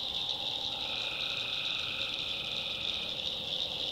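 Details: Tree frogs calling at night in the swampy backwoods of North Carolina: a dense, unbroken high-pitched chorus holding steady throughout, with a fainter lower hum beneath and no clear gaps or individual voices standing out.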